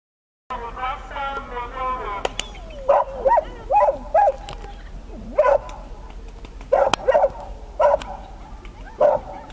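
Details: Dachshund at an agility trial, Römercup in Trier, 2012: after opening human speech, short sharp mid-pitched barks come singly and in pairs about every half second to second, with faint background chatter throughout.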